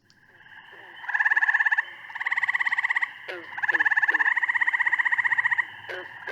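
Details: Gray treefrog in Ohio giving loud, musical trills with a coarse, slow pulse, each burst lasting one to two seconds; the call is compared with Cope's gray treefrog because call differences are the only reliable way to tell the two apart.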